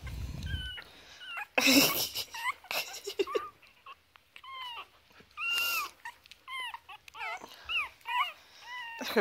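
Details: Young foster Chihuahua puppies, three weeks old, playing and squabbling before feeding: a rapid run of short, arched, high squeaks and yelps, some longer wavering whines, mixed with bursts of scuffling and rustling.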